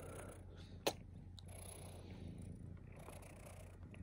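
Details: Pet cat purring in a low, even rumble, interrupted by one sharp click near the start.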